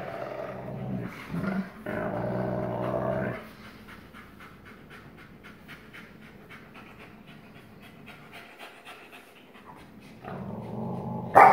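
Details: Astro, a black-phased 44% wolf father, growl-plays with his 56% wolf son Kandor on 1 August 2018, showing dominance: rough growling bursts open the clip, a long stretch of soft panting follows, and growling returns at the end.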